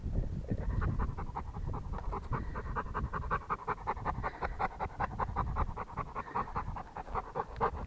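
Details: Rottweiler dog panting steadily throughout, a fast run of short breathy puffs with no pauses, close to the listener and loud.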